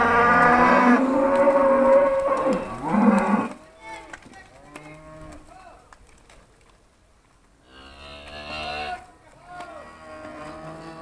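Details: Charolais cows, trained and called by their owner, 2017: a loud, rich moo for the first three and a half seconds, then quiet rustling, and a shorter fainter lowing near the end.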